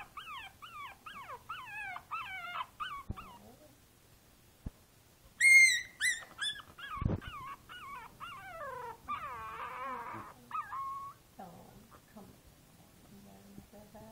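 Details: Princess Izzy, a five-week-old Boston Terrier puppy sitting in a basket on 12/4/2011, gives a long run of high, wavering whimpers that rise and fall repeatedly. After a brief pause comes a louder, squealing burst, and then more whines continue.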